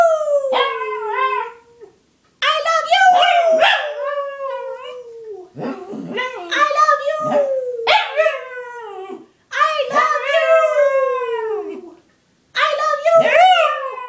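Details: Three-year-old pug and Shih Tzu mix dog indoors, making speech-like vocalizations meant as "I love you"; a series of drawn-out, wavering howl-like moans with falling pitch, grouped in phrases separated by short pauses.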